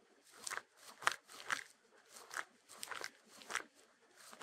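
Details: Close crunching from a Shetland Sheepdog (Sheltie) eating, captured for ASMR without music; about eight crisp bites in under five seconds, each a short crackle separated by quiet gaps.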